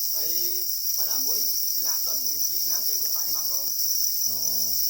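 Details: Angry black crickets (para crickets) guarding their eggs give a constant piercing trill without pauses, with a person speaking over it in short phrases.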